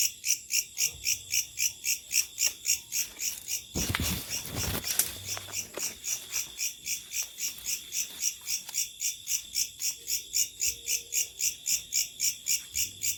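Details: Locusts calling at night: a steady train of high, buzzy pulsed chirps repeating nearly four times a second, with a constant thin whine underneath and a brief loud crackling burst partway through.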